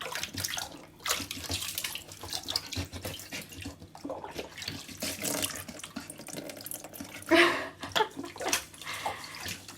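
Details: Running and splashing water fills an indoor room, with tap-like flow, drips and brief bursts of sloshing and no animal voice.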